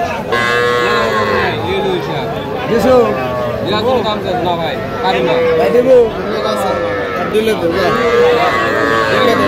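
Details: Sahiwal calves, small bulls and heifers, at a cattle market in Manikganj, Bangladesh, on 10 September 2025. Drawn-out, harmonic moos rise and fall through the clip. Men bargain and chatter close by amid the market crowd.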